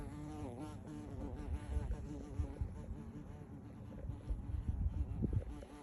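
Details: Big bumblebee droning near the recorder in a yard, its low hum bending up and down in pitch as it flies around, over rumbling low background noise and scattered knocks.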